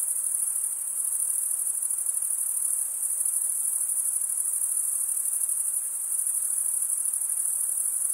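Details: Crickets, males chirping by stridulation, fill the recording with a continuous shrill high ringing. It stays even in loudness throughout, with a fine rapid pulse texture and no birds, voices or music.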